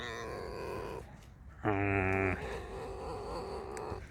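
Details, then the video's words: Sleepy pet fox being coaxed awake: a warbling whine, then a harsh buzzy grunting burst, then a long, softer quavering squeal, with light handling noise in the background. "лиса. Скрипит"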